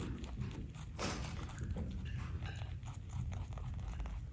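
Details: Two rabbits munching steadily on a load of veggies, grasses and flowers, with soft crunchy bites and rustling greens over a low rumble.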